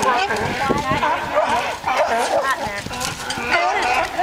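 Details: A crowd of sea lions at a bay dock, singing and fighting. Dense, overlapping, wavering barks and moans run on without pause, many voices calling at once.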